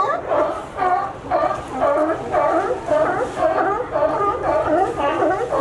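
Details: A sea lion group in California, animals that climb a fence to reach a dock, giving steady barks about twice a second, each a nasal harmonic honk of even pitch, with low background rumble.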